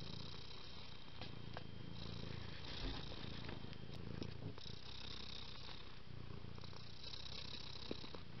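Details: Pet cat purring in a low, even drone, with breathy hissing surges and a few small clicks and taps over the rumble.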